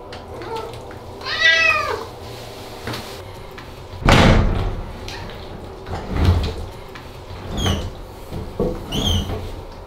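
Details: Ragdoll cat Aman, which hates baths enough to scream, lets out a harmonic wail early on, followed by thumps and knocks like a door or cupboard, then two short high cries near the end.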